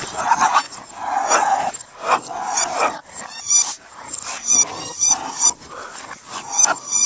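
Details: A pair of Boston Terriers chasing each other in play; rough, throaty growling comes in uneven pulses throughout, mixed with brief higher squeals and scrabbling noises.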